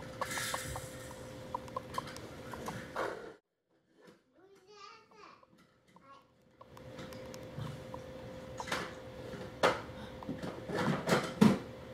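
Indoor room noise with a steady hum and faint voices, broken by a brief quiet stretch; no animal calls.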